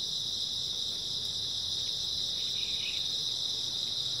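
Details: Early autumn night chorus of grass insects: an unbroken, high shimmering trill from many callers, steady throughout with faint low background rumble.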